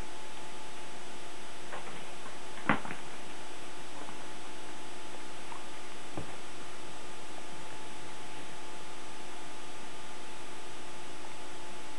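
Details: A quiet indoor room with a steady low hum and a few sharp knocks or clicks near the start and middle, no animal voice.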